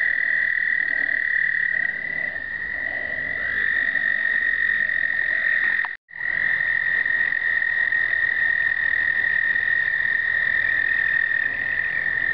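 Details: American toads at an explosive breeding gathering, 2009, pocket Canon point-and-shoot: sustained high trills from several toads overlap, one voice starting and rising in loudness, the chorus cut briefly midway before resuming.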